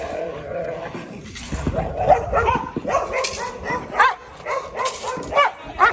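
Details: Male Rottweiler Kolohe on his first day of protection training and bite work, giving short, sharp barks in bursts, roughly six over a few seconds, with voices in the background.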